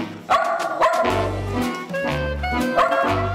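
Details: Female Shetland Sheepdog indoors at home, barking toward an air fryer or blender to demand food, having learned that blended things taste good; three sharp, clipped barks, two close together early and one near the end, over steady background music.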